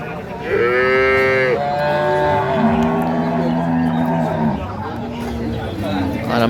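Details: Cattle at Ambari livestock market, Dinajpur, Bangladesh, where dairy cows and calves are sold: a loud rising bellow, then a string of deeper, level moos trailing off amid market background noise.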